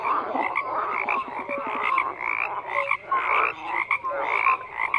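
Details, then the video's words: Frogs croaking in a dense chorus, many overlapping voices giving rapid rattling pulses and short nasal notes that rise and fall, layered and continuous with brief dips in loudness; no other clear sounds. "FROGS CROAKING"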